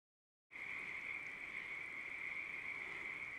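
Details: Pacific tree frogs chorusing their mating calls from a ranch pond in southwestern Oregon in spring; after half a second of silence a dense, continuous trilling band of croaks sets in, steady and unbroken throughout.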